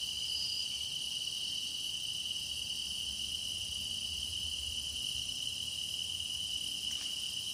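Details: Chorus of grass insects for meditation: a continuous shrill, ringing hum holding one pitch, topped by fainter high shimmering layers, with a brief soft click late in the recording.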